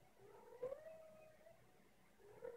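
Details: A deaf male cat gives quiet meows, recorded in November 2016: one soft drawn-out meow that rises slightly and then levels off, followed by the start of a second short meow, in a quiet room.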